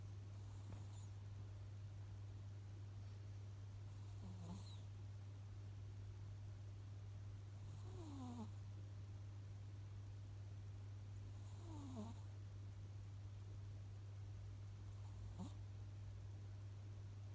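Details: Sleeping cat snoring, each breath a soft nasal whistle with a falling pitch, returning about every four seconds over a constant low electrical hum in a quiet room.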